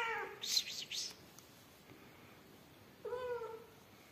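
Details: Meows recorded during the rescue of yellow mother cat Amarilla and her newborn kittens: a short cry at the start, a brief hiss-like noise, a quiet pause, then a second clear, slightly falling meow.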